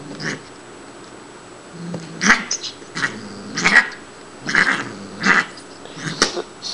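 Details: Shiloh, a very vocal female Siamese cat nearing four years old, at indoor playtime: a run of about six loud, harsh meows in uneven succession, with a low human voice between calls.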